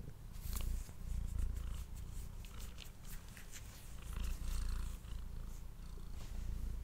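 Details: Cat purring while eating, recorded close up indoors on a studio microphone; steady low rumbling purr throughout with crisp wet chewing and licking clicks on top.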